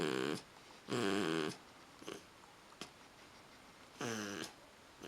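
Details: Pit bull asleep after a bath, snoring loudly with rough, rasping breaths at irregular intervals, three strong snores and fainter ones between, indoors.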